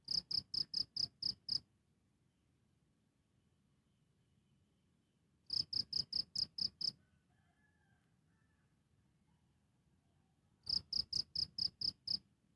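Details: Cricket recorded directly, chirping in three bursts of six to seven rapid high pulses, separated by pauses of roughly four seconds of near silence with faint low rumble.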